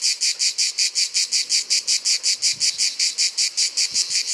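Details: Provençal grey cicada singing in summer. Its cymbal song is a steady train of strident, rasping pulses at roughly five per second, and a few soft low thuds sound faintly beneath it.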